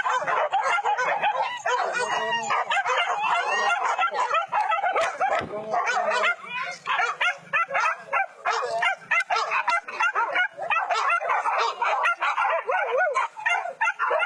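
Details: Pack of trained hunting dogs chasing wild boar at rice fields in West Sumatra, Indonesia; continuous frantic chorus of overlapping barks and yelps from many dogs, with some human voices mixed in.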